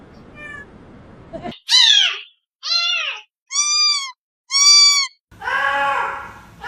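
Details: A cat giving a series of about five clear, tonal meows, some rising then falling, others steady and drawn out, spaced roughly a second apart.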